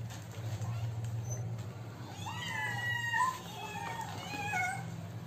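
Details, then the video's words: Hungry kittens asking for food: several short rising-then-falling mews with clear harmonics from about two seconds on, over a steady low hum. "Kittens are hungry and asking food."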